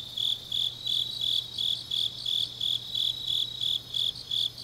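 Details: High, ringing chirps of grass insects on a late autumn night in Changnyeong, South Gyeongsang, evenly spaced at about three per second, with fainter insect trills underneath.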